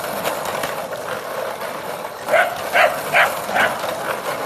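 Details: Scottish Terriers playing in a back garden in Guildford, Surrey, spinning an elderly Scottie on a bread trolley, with a Sealyham and a Jack Russell; a run of four or five short, sharp barks about every half second over a steady engine-like rumble.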